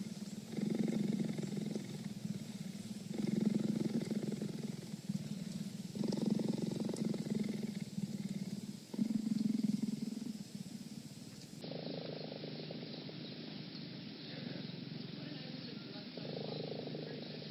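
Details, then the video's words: Cheetah purr in rhythmic swells, each loud rumbling phase lasting about two seconds before a short dip, repeating roughly every three seconds; partway through the scene changes to a softer, steadier purr from a different recording. "Cheetah Purring"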